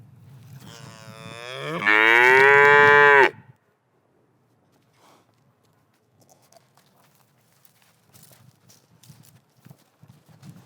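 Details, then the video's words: A black and white cow in a pasture gives one loud, drawn-out moo lasting about three seconds, rising in strength, then breaks off into near silence with faint rustling and soft background noise. "Cow Sound, cow mooing sound effects, Realistic Cow Sound and Noises"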